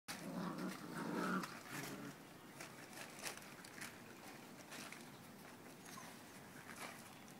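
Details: Redbone Coonhound puppies playing tug of war give a low, rough growl, followed by quieter scuffling and soft clicks.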